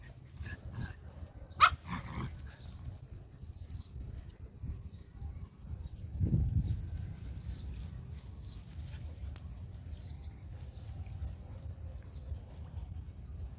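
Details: A male dog, filmed while running, gives one short, sharp bark early on, then a duller low thump a few seconds later, over steady low rumbling outdoor noise and faint scattered ticks.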